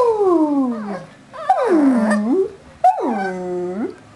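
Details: Two Shih Tzus singing a melody together, recorded 01/12/08: drawn-out, tonal howls that slide downward and then curve back up, three long notes in about four seconds, with no other clear sounds.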